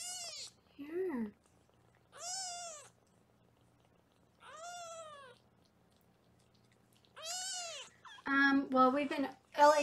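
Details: Foster kittens being weighed in a Los Angeles kitten cam room: four separate high, arched meows spaced two to three seconds apart, each rising then falling, before a woman starts speaking.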